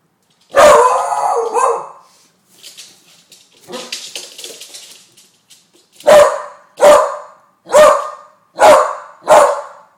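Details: Balloon-shy pet beagle Bailey, 10 months old, gives one long drawn-out bark, a stretch of soft scuffling noises, then a run of five sharp barks under a second apart.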